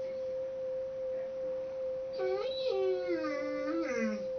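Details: A mastiff in a cluttered children's bedroom joins in with Mary Had a Little Lamb. One held musical tone sounds first, then the dog breaks in with a rising-and-falling howl that slides downward over about two seconds.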